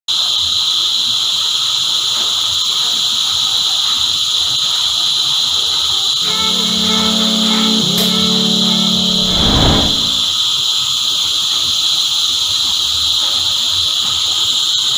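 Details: Cicadas in a dense choir, a steady shrill hiss with bright bands high in pitch throughout, while a loud harmonic horn-like tone sounds for a few seconds midway.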